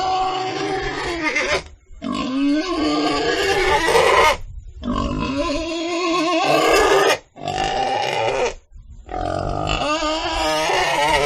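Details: Pig making long raspy, grunting squeals in four drawn-out bursts separated by brief silences, each rough and harsh with a wavering pitch.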